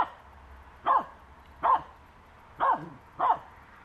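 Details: Finnish Spitz barking while harassing a squirrel on a walk in May: four short, ringing barks, two close pairs under a second apart, against quiet background.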